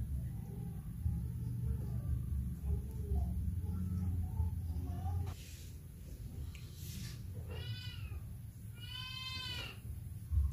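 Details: Mother cat with her kittens: a low steady purr-like rumble fills the first five seconds, then quieter rustling, followed by two clear, rising-and-falling harmonic meows near the end.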